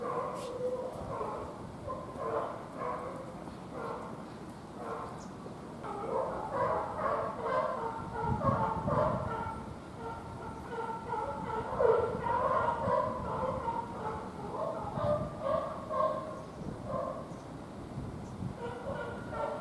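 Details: A young serval, born 29 May 2020 and recorded 17 December 2020 at a zoo, gives repeated high, whining mews and yips in quick succession.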